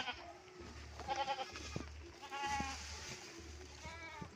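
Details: Goats awaiting fodder from their keeper give brief wavering bleats, three separate calls roughly a second or more apart, with a low droning hum and faint clicks behind.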